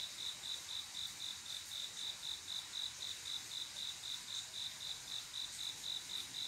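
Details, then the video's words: Crickets on a still midsummer night, the male's love song to a female: a bright, ringing chirp pulsing regularly, roughly four per second, with a faint airy background hiss. "조용한여름밤 귀뚜라미소리"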